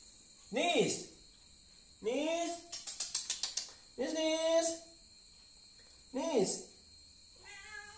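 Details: A mother cat reacts to something inside a helmet. She gives four drawn-out, arching meows, each rising then falling. A quick run of rattling taps falls between the second and third meows.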